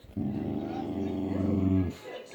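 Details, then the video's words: Layla, a female Boxer dog, throwing a random tantrum: a sustained low, harmonic grumbling growl held for nearly two seconds without a break, then cut off, with faint room noise around it. "Boxer dog throws a random Tantrum?"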